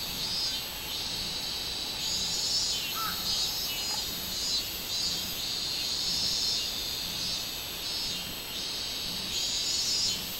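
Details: Robust cicada song recorded on 24 July 2016: dense, high buzzing chorus with rhythmic pulsing swells repeating through the clip, steady and insect-like, with a faint brief chirp near the middle.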